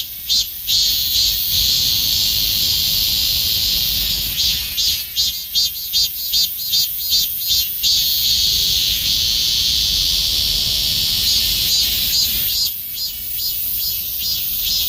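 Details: Robust cicada in summer, high pulsing shrill song with beats repeated steadily about two and a half times a second, swelling into a continuous droning buzz before the pulsed pattern returns.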